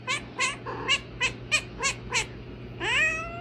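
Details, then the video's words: A clingy domestic cat meowing: eight short, bright meows about every third of a second, then one longer meow that rises and holds. A steady low hum runs underneath. "A clingy cat"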